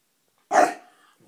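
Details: Indoor puppy fussing over his treat lets out one sharp, single bark that fades quickly, followed by near silence.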